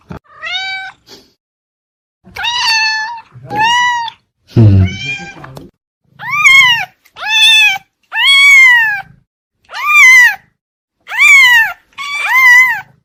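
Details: Pet cat meowing over and over in arched, whiny calls about once a second, with one low, rough vocalisation early on and brief silences between calls.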